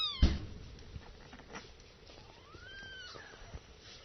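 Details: Nursing kittens indoors, one thin rising-then-falling mew near the end over soft rustling and low handling noise, with a sharp knock at the start.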